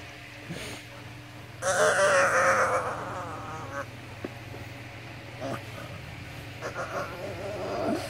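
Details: A pet pug makes happy noises as its owner comes home from work: a high, wavering greeting whine, then softer snuffles and squeaks.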